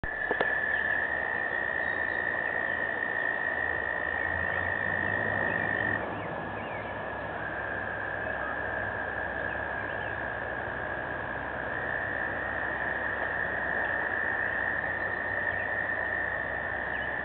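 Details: Frogs calling in spring, a dense, unbroken chorus with a steady high trilling tone that holds throughout, dropping slightly in pitch around the middle, over a busy hiss of many overlapping voices.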